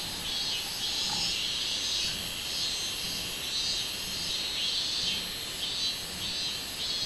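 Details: Robust cicada chorus from 24 July 2016: loud, high, buzzy song swelling in regular pulses about every two-thirds of a second, with a faint low tone early on.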